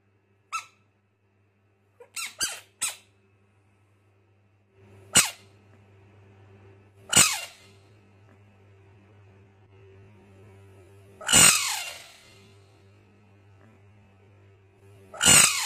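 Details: Fighting frogs screaming indoors: scattered sharp clicks and brief squeaks, then loud raspy broadband shrieks roughly every few seconds, the last two harshest, against a constant low electrical hum.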